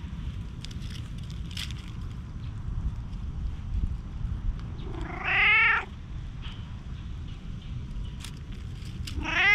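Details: Stray tabby-and-white cat pleading desperately from the shade of trees, filmed with a GoPro HERO8: one drawn-out, arching meow midway through, and a second meow beginning at the very end, over a steady low background rumble.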